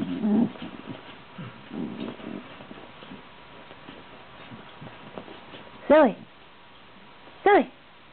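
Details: Female pet Shiba Inu making strange noises indoors: two loud, arching whine-like calls about a second and a half apart near the end, after a woman's voice talking over soft rustling.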